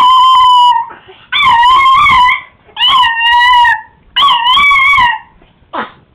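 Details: Chihuahua kept as a pet, howling from excitement: a run of four wavering, yodel-like howls about a second long, each separated by brief pauses, ending in a short falling yip.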